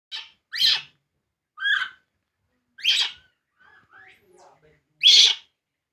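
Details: Baby monkey named Poo crying while drinking milk: short, shrill, rising squeals, five cries spaced about a second apart with a softer chirp between them, in a quiet room.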